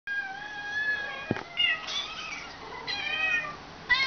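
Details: Tippy, a pet cat, meowing back at kittens heard meowing for their food from a laptop, then walking toward her food: several drawn-out, tonal meows, some rising and falling, with a brief click in between.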